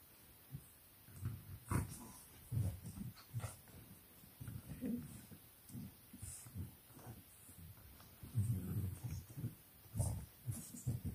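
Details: English Bulldog puppies playing in their pen at 4 am, in a home in Nairobi, Kenya: low grunting growls and snorts in short bursts, with occasional sharper thumps and squeaky accents over a quiet background.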